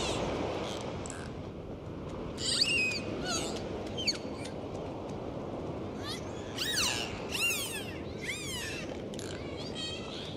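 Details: Faint, scattered dolphin whistles early on, then clearer bursts of repeated rising and falling whistles in the second half, over a continuous wash of underwater noise.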